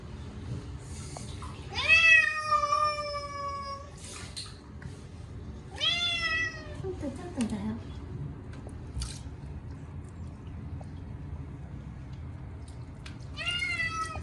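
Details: Munchkin cat Chacha, short-legged, screams loudly while being bathed for the first time in a year: three drawn-out, wavering, falling meows spaced several seconds apart, with bathroom noise and water between them.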